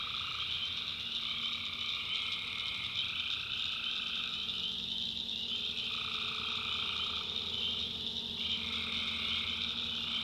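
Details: Many tree frogs at night in a North Carolina swamp, a continuous high-pitched ringing chorus; a lower croaking layer pulses on and off in bursts of a few seconds throughout.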